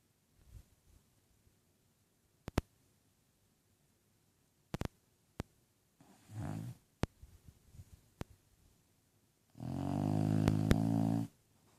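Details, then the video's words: Bulldog named Lola asleep and snoring indoors: after scattered clicks and taps, a short raspy breath near six seconds, then one long, loud, rumbling harmonic snore lasting about two seconds near the end. "Snoring bulldog"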